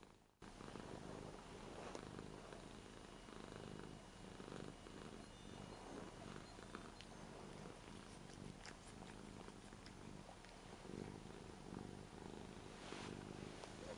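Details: Purring Ragdoll cat Rara, eight years old, enjoys being petted on a new bed. A clear, deep rhythmic rumble pulses on and off, with light rustling and handling noises.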